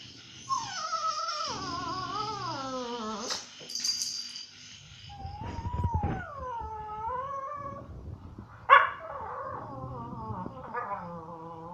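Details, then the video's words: A dog at a dog resort in Phuket complaining with drawn-out whines and howl-like moans that slide downward, broken by short yips and a sharp cry near the end. "TINKA complaining"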